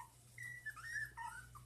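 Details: Dachshund puppies, one month old, whining in a thin, wavering, continuous squeal that bends up and down, with a low hum underneath.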